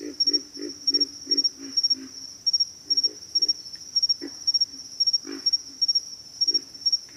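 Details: Pig frogs giving low, rough grunts in quick clusters of several, repeated steadily through the recording, set against a constant high-pitched, rapidly pulsing insect chorus.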